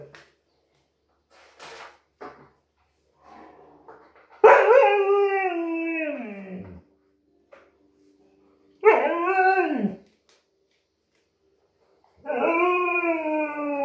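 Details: Indoor husky frightened of the new vacuum cleaner, first a few faint clicks and whines, then three drawn-out howls, each starting high and sagging in pitch before cutting off, separated by silence.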